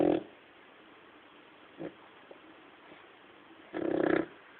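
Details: A sleeping male pet dog snoring indoors: two loud, throaty rasping snores, one at the start and one near the end, with a faint short snort between them in a quiet room.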